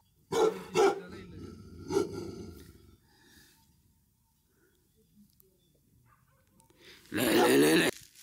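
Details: Bhote Kukur, the Himalayan mountain dog, at a dog farm in Kali Pokhari, eastern Nepal, at just over 3,000 meters: three loud deep barks in the first two seconds, a quiet pause, then a long harsh bark-growl near the end.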